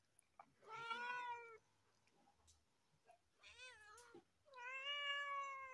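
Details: A cat meowing loudly on top of a car: three drawn-out, wavering meows with rich harmonics, each about one second long, separated by short quiet gaps.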